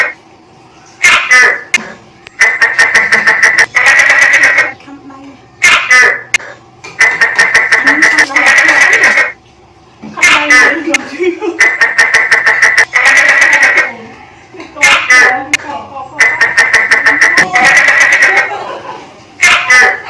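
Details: A tokay gecko in a kitchen in Thailand gives loud, harsh, pulsed calls in bursts about every two seconds.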